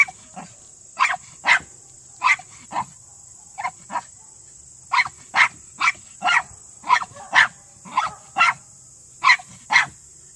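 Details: Underground barking by a male Miniature Pinscher on a Senior Earthdog leg after taking 10 seconds to reach the quarry; crisp high yaps in quick pairs and clusters, around two per second, over a steady hiss.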